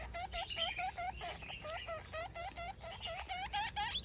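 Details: Baby guinea pig calling its mother: rapid series of short, high squeaks with harmonics, each dipping then rising, repeated several times a second with brief gaps between bursts.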